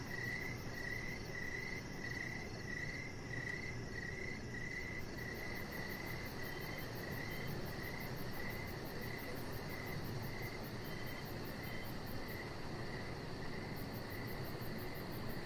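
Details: Crickets chirping outdoors in the evening beside a deck, steady high pulsed chirps repeating about every half second over a constant low rumble, with a faint fast ticking insect buzz far above.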